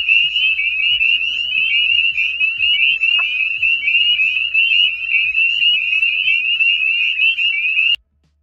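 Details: Spring peepers in a dense chorus: high, steady peeping notes overlap into a continuous shrill band, with rapid repeated chirps layered throughout, running unbroken for about eight seconds before stopping abruptly.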